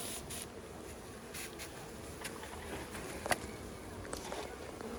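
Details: Several thousand honey bees poured from a package into a hive during a first beekeeping session, the queen placed in her cage; a steady mid-pitched swarm hum with occasional clicks and brief knocks.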